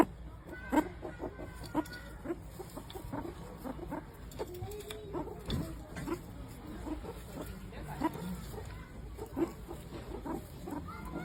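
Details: Meerkats giving a series of short chirping calls, clucking and squeaky notes repeated irregularly, several overlapping, over a steady low background hum.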